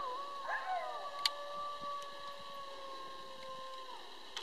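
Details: A pack of about a dozen coyotes howling together. Long, steady, overlapping howls hold for several seconds at two pitches, with yips and wavering voices at the start and a few faint clicks.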